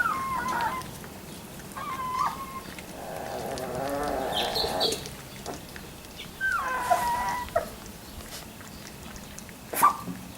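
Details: Labrador Retriever puppies at three weeks old give brief falling whines, three spaced several seconds apart, with a soft rustle and shuffling between them.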